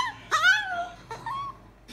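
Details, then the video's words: Molly, a Chihuahua learning to talk, answers with a drawn-out whiny vocalization that swoops upward and then slides slowly down, followed by a shorter, level second whine, recorded in a small indoor room. "Talking chihuahua"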